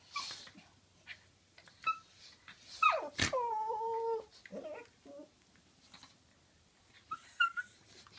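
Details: Pet dog making a funny noise while play-wrestling with another dog indoors; a sharp yelp, then a long wavering whine that slides down, short yips and scuffling thumps, with quiet gaps between bursts.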